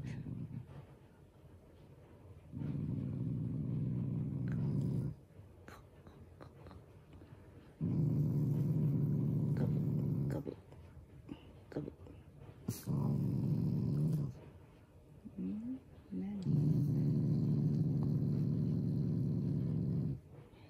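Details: Family Shiba Inu showing affection toward its owners, not anger: four long, deep, rumbling growls of two to three seconds each, separated by short quiet pauses and small rustling noises.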